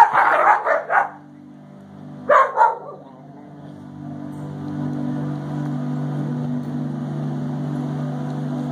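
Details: Doberman and Border Collie playing together, with barks in two short bursts near the start and again after two seconds, then a steady low mechanical hum fills the rest.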